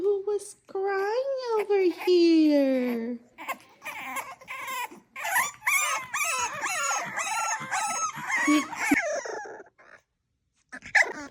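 French Bulldog puppies crying with high, wavering whines and yelps that slide downward in pitch.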